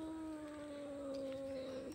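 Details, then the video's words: Two cats fighting; a steady, sustained yowl holds almost level and slides slightly downward for nearly two seconds, quiet background. "দুই বিড়ালের ঝগড়া"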